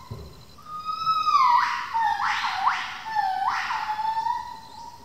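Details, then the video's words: Female gibbon Victoria, confiscated by police and living ten years at a rescue centre on a two-hectare semi-wild hill, at 6am: loud whooping calls sliding up and down, swelling into rising rushes, with faint birds and insects. "the sound of Gibbons, birds and insects"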